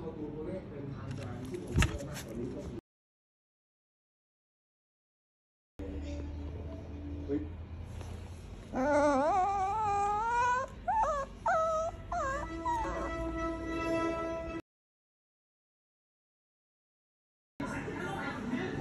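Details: Brownie, a two-month-old female Toy Poodle puppy whose front toe was crushed in a door on 3 July 2021, crying in high, wavering, rising whines for about four seconds, with a person's soothing voice and silent gaps around it.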